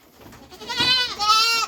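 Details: Boer goat on a farm giving two close, loud bleats: a nasal, wavering cry that sags in pitch, then a second, steadier bleat held for about half a second.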